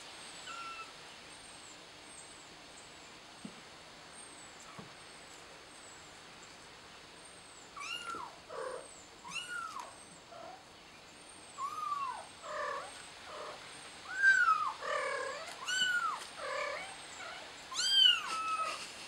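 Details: Kitten trapped on a flower pot meows repeatedly, quietly at first, then louder and more frequent in the second half: short, bent, falling cries several times a second, over faint high chirps and hiss.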